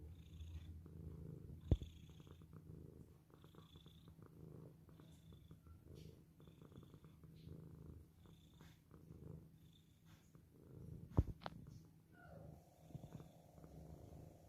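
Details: Pet cat purring quietly in a soft, continuous low rumble with rhythmic breathing pulses, two sharp clicks, and a faint high tone near the end.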